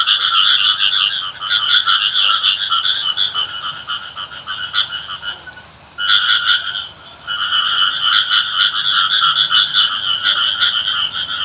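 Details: Frogs calling during rain in a village setting, a dense chorus of rapid buzzy pulsed croaks, two bright bands of sound, briefly dropping out near the sixth second before resuming steadily.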